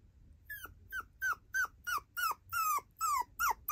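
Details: Female tiny poodle, described as an affectionate girl with big round eyes, gives about ten short, high whimpering yelps that slide downward. They come roughly three a second in a quiet indoor space.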